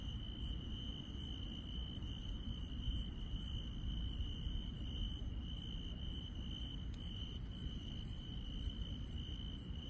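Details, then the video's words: Insects chirping on a night in the countryside: a steady piercing trill continues throughout, overlaid by regular, very high short chirps about twice a second, with one sharp click midway and a low rumbling background. "시골 밤의 정겨운 풀벌레 소리"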